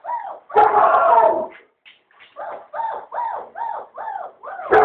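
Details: German Shepherd puppies yipping: one harsh, louder burst, then a run of six evenly spaced, arched high yelps about half a second apart, ending in another loud bark.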